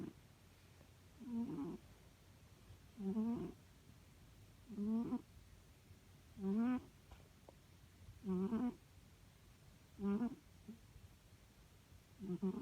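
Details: Domestic cat snoring while asleep indoors: soft, low rasping breaths with a tonal wavering edge, repeated about every one and a half to two seconds in a steady rhythm over a faint background hum.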